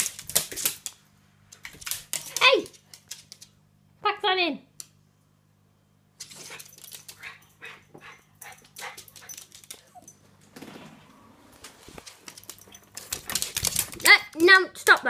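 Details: Lottie, a West Highland White Terrier, reacts jealously to the next-door neighbours' cat entering the garden with sharp bark bursts and a falling, whiny yelp. A woman's voice repeatedly tells her to stop, saying the cat has gone.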